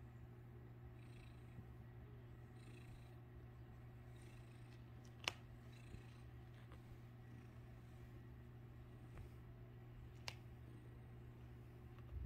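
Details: A domestic cat purring while its tail is played with indoors: a steady, low, continuous rumble runs through the whole recording, broken only by a couple of brief sharp clicks.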